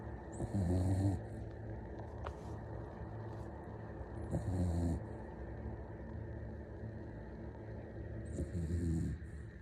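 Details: Puppy fast asleep and snoring in a steady rhythm: three low, rattling, buzzy snores about every four seconds, each with an airy hiss, separated by quiet exhales over a faint background hum.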